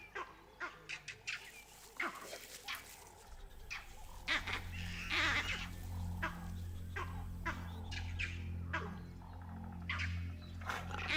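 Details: Vervet monkeys give sharp, chattering alarm calls in irregular bursts in the distance, echoing a jackal's barks and coming from the direction of a leopard's den, which alerts a hunting female leopard.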